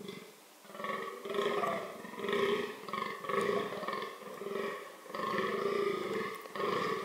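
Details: Fallow deer (Dama dama) calling during reproductive behaviour: deep, harmonic groans, each under a second long, repeated about once a second in a steady series, with short quiet gaps between them.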